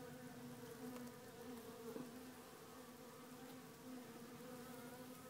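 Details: Honey bees in a small hive, a swarm confirmed to be without its queen, giving a steady, dense buzzing hum with low droning tones held throughout, slight swells in loudness, and a few faint clicks.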